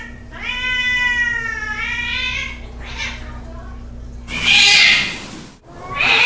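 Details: Domestic cats in a fight, recorded at night: a long wavering harmonic yowl that rises slightly and holds steady, then a short fainter cry and loud breathy hisses near the end, over a low steady hum.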